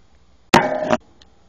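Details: Delta, a pet platinum sugar glider, gives one short, harsh bark lasting under half a second. The bark is rich in harmonics and stands out sharply against near silence before and after.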